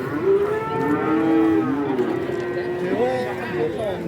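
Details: Cattle at a cattle market in Kajen, Pekalongan, Central Java, open every Wednesday; overlapping low, harmonic moos fill the whole stretch, one long bellow followed by another rising and falling, with faint voices behind.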